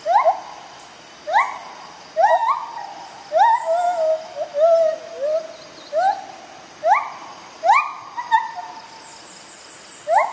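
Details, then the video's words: White-handed gibbons Bella and Dexter duet in the morning jungle: rapid series of rising hoots roughly every second, interrupted by a longer wavering descending phrase, with steady insect noise in the background. "White Handed Gibbons, Bella & Dexter Duet"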